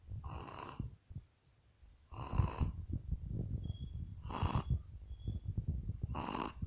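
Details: A sleeping female Shih Tzu snores in a steady rhythm, each rasping breath about two seconds apart.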